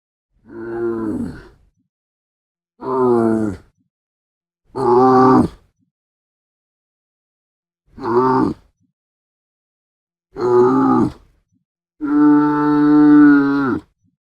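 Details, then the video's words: Camel giving six separate groaning grunts about two seconds apart. Each is deep and rough with a strong harmonic buzz, and the last one stretches into a longer, steadier bellow. No other sounds. "CAMEL SOUND"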